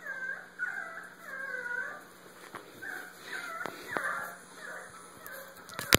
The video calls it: My pouch Diesel, who said a Basenji can't bark?